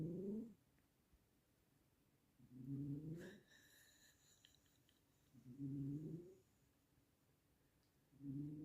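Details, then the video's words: A sleeping cat snoring: loud, drawn-out tonal snores with a slightly rising, wheezy pitch, recurring about every three seconds with quiet gaps between, plus a brief faint rustle in the middle. "This CATs SNORING is CRAZY!!"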